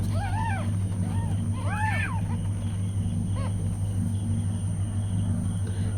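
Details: Mother cat and her newborn kittens: a few high, arched little mews in the first two and a half seconds, one faint short mew later, then only a constant low droning hum.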